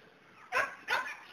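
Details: Border Collie herding dog gives two sharp, bright barks about half a second apart, with a third starting at the end; quiet background between.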